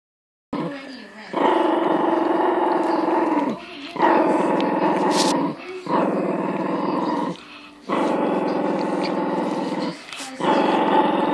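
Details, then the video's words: A little dog growls at a big dog: long, rough, rumbling growls lasting two to three seconds each, broken by short pauses, repeated about four times. "Small dog big growel"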